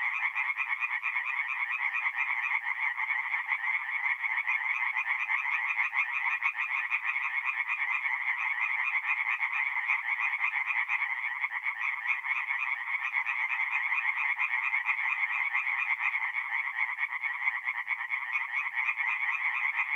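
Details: Dense chorus of many tree frogs singing at night at a forest pond in north-east Italy in mid-April; countless rapid croaks blend into an unbroken, loud, buzzing wall of sound lasting throughout.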